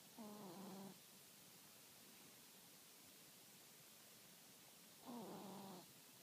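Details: A sleeping Chihuahua snoring softly. There are two brief nasal snores with a faint whistling, harmonic tone, spaced about four seconds apart, and a quiet hiss in between.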